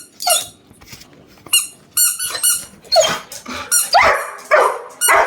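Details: An angry male Labrador Retriever that has not been given his toy gives sharp, high barks and squealing whines in irregular bursts, roughly two per second, with gaps of quiet between the louder outbursts.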